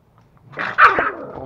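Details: Aggressive toy Pomeranian pet in Kathmandu, Nepal, giving a brief harsh snarling bark that rises into a loud sharp yap, while someone exclaims in the background.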